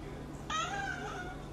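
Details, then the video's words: Calico polydactyl cat letting out a long, whiny meow that holds steady, then trails off. A person speaks just before and after. "Lovely Calico Polydactyl Cat Meow Compilation"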